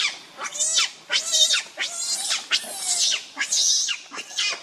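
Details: Angry, hungry baby monkey Leo Rainbow crying to its mother for milk: five or six drawn-out, harsh, very high screams, each nearly half a second long and strongly harmonic, delivered in close succession with short gaps.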